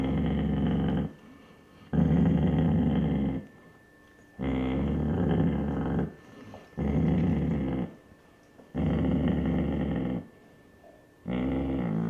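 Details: A protective Basset Hound mother guards her puppies from an older man indoors. Deep, raspy growls of about one and a half seconds repeat steadily, five in a row, each followed by a short silent breath.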